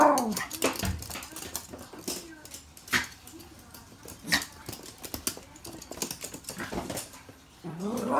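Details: Toy Poodles at play with stuffed toys, a pair of dogs each with a plush; drawn-out whining growls swoop at the start and again at the end, separated by sharp clicking taps and soft voices.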